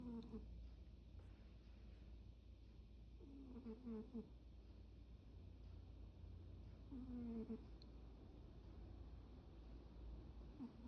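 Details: Sleeping, daydreaming cat gives several soft, tonal, falling squeaks in short clusters, a few seconds apart, over a steady low hum in a quiet indoor setting.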